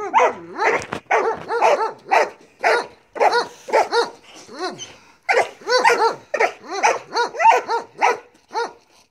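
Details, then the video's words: Belgian Malinois Marley barks insistently through bite work training, with clipped, ringing barks in quick succession and a short growl-like dip midway. "Marley Belgian Malinois bite work"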